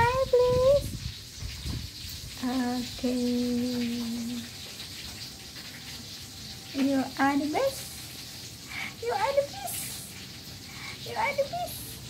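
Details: Indoor cat meows: an early rising mew, then a long flat wavering call, followed by a run of short upward-sliding mews over low background noise.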